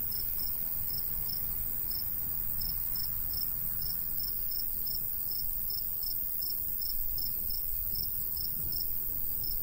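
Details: Summertime crickets chirping beside a golden wheat field in the countryside, a light breeze blowing; bright, high, evenly spaced chirps repeat about twice a second over a thin steady insect whine and gentle low wind noise.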